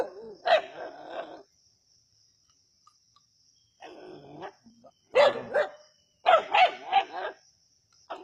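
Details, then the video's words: Snake hunt by native dogs at Keezhadi: a harsh bark burst, a quiet gap of over two seconds, then clustered rough barks coming in rapid, uneven bunches, some overlapping, with a faint high background tone. "கீழடியில் நாட்டுநாய்களின் பாம்பு வேட்டை"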